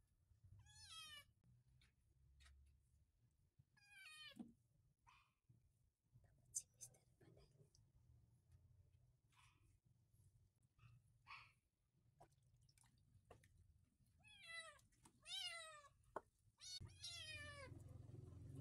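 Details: Rescued white kitten at bath time giving scattered high, downward-sliding meows among water sounds, handling noise and soft background voices.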